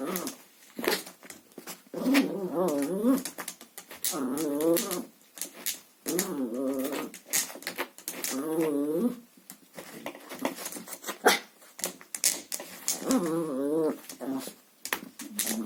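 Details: Indoor Chihuahua tugging at a vacuum cleaner hose, growling in repeated wavering bursts of about a second each, interspersed with clicks, taps and rustling from the play.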